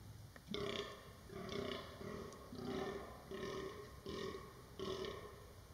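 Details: Fallow deer buck during the 2023 rut, giving deep belching groans repeated about every 0.7 seconds, each a short hoarse burst with a steady low tone underneath, over faint background hiss.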